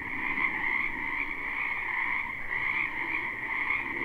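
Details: Wetland frogs in spring heard in a live, unlooped take: a thick continuous chorus of shrill trilling croaks, steady throughout, with faint deeper calls underneath.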